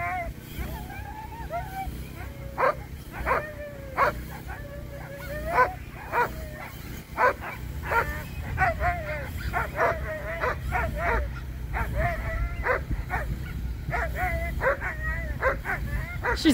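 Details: Presa Canario dog during a coursing aptitude qualifying run at the UKC Premier Nationals 2023; repeated high, wavering whines and sharp yelps, excited and uneven, over background music, with a person speaking.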